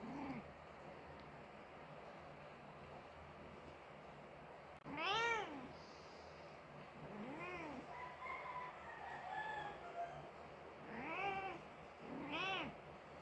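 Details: Persian mother cat mourning her dead kitten, giving a series of about five arched, wailing meows spaced a few seconds apart over a low steady background hum.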